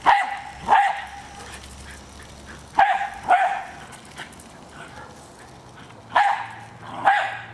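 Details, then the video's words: Jack Russell Terrier Hali attacking a remote-controlled car gives loud, sharp barks in pairs separated by quiet stretches, a faint motor hum in the background. "Jack Russell Terrier Attacking Toy Car"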